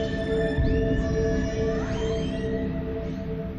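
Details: Orca vocalizations picked up by a hydrophone lowered from a boat as a nervous group approaches; rising and falling whistles and sweeping squeals over steady low engine-like hum and a constant tonal background.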